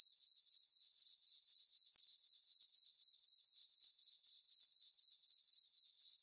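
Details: Night chorus of crickets in a moonlit summer meadow on a farm: a constant high, bright trill beating in quick even pulses of about four per second, with one short break near the start.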